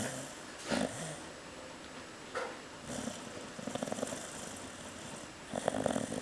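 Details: Female Chow Chow called Cocoa sleeping indoors, snoring louder as footsteps approach; faint raspy snore bursts recur through the recording, with some clicking noises and steady hiss.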